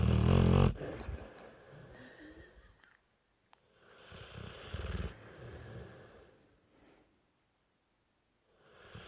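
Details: Loud, gravelly snore from Brewster, a three-year-old Dorset Old Tyme Bulldog, opening strongly, followed by quieter wheezy inhalations and a second rumbling snore, with short silent gaps between breaths.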